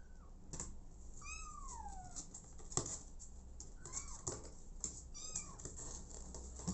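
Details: Abandoned kitten adopted by mother cat Smokey: one long, drawn-out meow that slides downward, then shorter arched cries, with sharp clicks and taps in between.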